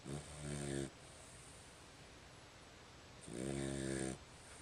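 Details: Dog asleep indoors, giving two drawn-out rumbling snores, each under a second, with a quiet two-second breath between them over steady low hiss.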